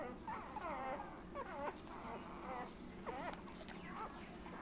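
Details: While sucking milk, a Labrador Retriever puppy lets out short squeaky whimpers, thin and sharply bending, in bursts separated by brief pauses, with some soft rustling between.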